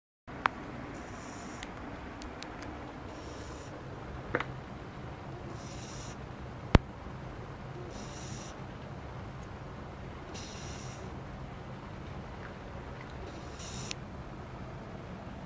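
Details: Fishball, a pet Japanese Spitz, snoring while sleeping soundly: soft, hissing breathy bursts recur about every two and a half seconds over a quiet low rumble, with a few sharp clicks between breaths.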